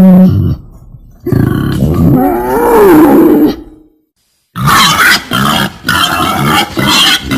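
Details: Female wild boar giving loud, rough grunting calls: a burst of harsh grunts, then a longer wavering moan that rises and falls, a short silence, then a run of choppy, raspy grunts in quick pulses.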